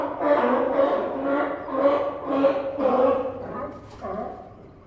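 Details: Sea lions resting along the Santa Cruz docks bark in a steady series of deep, echoing, hoarse, honking calls, roughly two every second, amid pier ambience.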